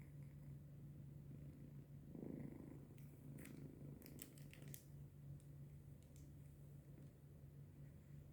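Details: Domestic cat asleep at 3:45 am on 14 January 2025, a low rumbling snore-like purr that drones steadily without pause, with a short louder breath and a few faint ticking clicks partway through.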